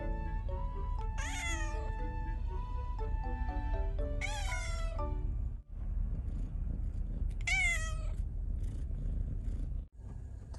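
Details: Male Siamese cat recovering after neutering surgery gives three short, rising-then-falling meows about three seconds apart, over steady background music with stepped melody notes.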